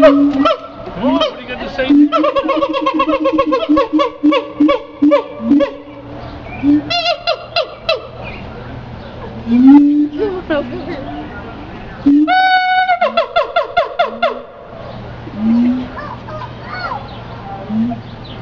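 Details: Siamang vocalizing with rapid bursts of harsh, harmonic barks packed close together, then scattered low hoots and a brief rising, ringing call, with quieter gaps between outbursts.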